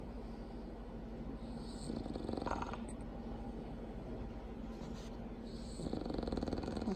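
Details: Female bulldog snoring loudly while asleep: rough, rattling breaths rise in two noisy bursts of pulsing snore, separated by steadier, softer breathing under a constant low hum.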